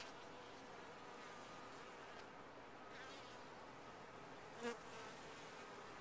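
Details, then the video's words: Continuous low humming of a honey bee colony in a top-bar hive, a thick buzzing texture with a faint sustained tone and one short louder buzz close to the microphone near the end. "Bees in a topbar hive"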